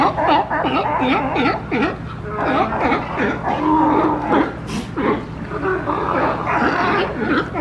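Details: Noisy, pushy sea lions in Monterey Bay, California, piling onto each other looking for a spot to rest; continuous chorus of hoarse wavering barks and groans, many animals calling over one another, with a brief splash-like burst.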